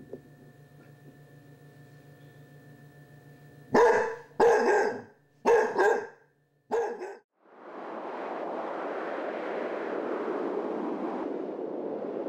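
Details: Basset Hound puppy at Halloween with a Chihuahua companion, facing off against a candy dish; four sharp, loud barks in quick succession over about three seconds, followed by a long stretch of broad rustling noise.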